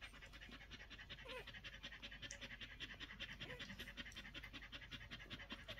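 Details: Collie puppies one week old breathing fast in short airy pulses, about two and a half per second and quite regular, with a small squeaky note near one and a half seconds.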